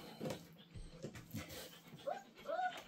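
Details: Belgian Malinois pups with their mother in a nursery: soft scuffles, then two short rising-falling whimpers close together at the end, a human voice quietly present.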